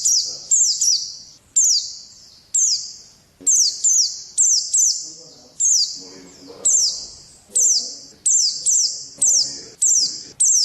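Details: Pet pleci white-eye kept for song contests, repeating high, bright falling chirps in pairs and triplets roughly every second, with faint human voices in the background.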